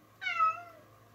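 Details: Indoor female cat at play with a found toy gives a single short meow, bright and harmonic, starting high and gliding downward, over a faint steady hum.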